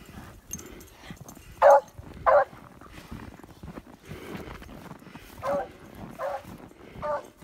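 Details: Female beagle in her old age roused by the smell of a fox: a quick pair of loud barks, then a series of three slightly softer barks spaced under a second apart. Shuffling noise runs underneath.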